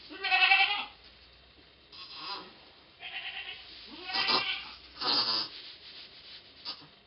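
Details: Domestic goat giving birth to twins, 2 November 2011: loud harmonic bleats, a strong one at the start, then several shorter repeated bleats about a second apart, fading between calls.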